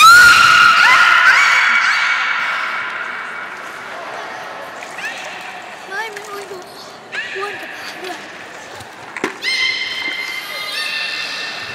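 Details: A beluga whale at Nagoya Port Aquarium on 16 March 2019, during playtime after its unusual fish-eating session, gives bright, rising whistles and short squeaky chirps, with a faint murmur of people behind.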